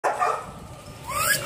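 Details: Energetic, affectionate male Labrador Retriever at a shelter awaiting adoption: one sharp bark opens, followed by a thin rising whine near the end, with a person nearby.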